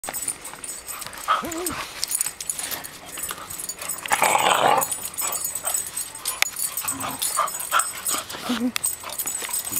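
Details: Two cocker spaniels bickering and fighting with each other: short whining tones, a harsh noisy snarling burst midway, then scattered yips and scuffling clicks throughout.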